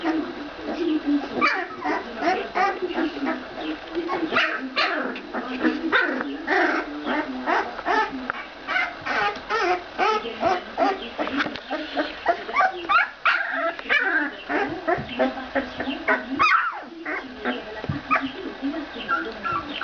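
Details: Ca de Bou puppies, 14 days old, producing a dense stream of short squeaky whimpers and yelps, many overlapping, with occasional sharper cries and faint speech in the background.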